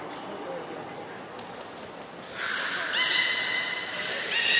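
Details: A beluga whale gives bright, squeaky whistles with buzzy harmonic overtones, following a quieter stretch, recorded during a pool transfer on 18 July 2017.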